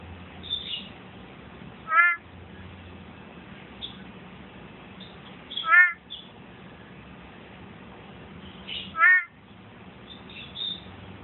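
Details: A male big-eyed tree frog calls at night on Thursday, 17 February, still calling under a phone light: short, harsh, clacking calls, each a brief burst, about every three to four seconds.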